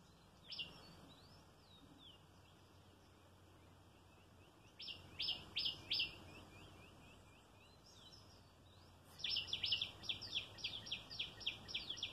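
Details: A squirrel that comes at mealtime for food and affection, leaping here and there, gives bursts of sharp, high chip notes repeated quickly in short runs.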